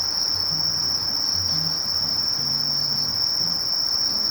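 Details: Brief stretch of Sasakiri katydid (Conocephalus melaenus) song: a constant piercing buzz at one pitch throughout, faint low hum in the background.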